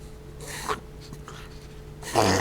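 A dachshund reverse sneezing: harsh, noisy snorting inhalations in short bursts, ending in a louder rasping snort.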